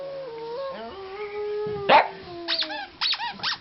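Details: Pet pugs react to a squeezed squeaky toy with a long, steady, slightly stepping howl. A sharp squeak follows, then several short, clipped barks near the end.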